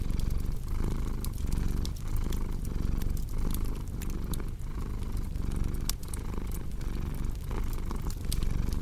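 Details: Domestic cat purring steadily, a deep low rumble that swells and dips with each breath, the cycle recurring roughly every 0.6 seconds, overlaid with sharp popping crackles from a cozy indoor fireplace.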